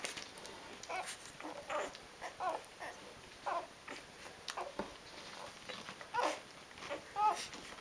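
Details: Litter of four-day-old Rhodesian Ridgeback puppies indoors, giving short thin whimpers and squeaks about once a second in an irregular run, over a steady faint hiss.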